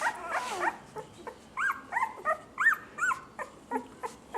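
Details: Six female puppies giving high arched whines and yips, roughly three per second in an uneven series, one longer wavering whimper at the start, a person speaking before and after.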